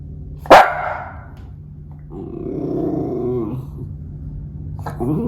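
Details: Miniature schnauzer on sentry duty watching the potato harvest in Aroostook County, Maine, on October 10, 2022: one sharp, loud bark near the start, then a low rumbling growl-like sound, over a steady low hum.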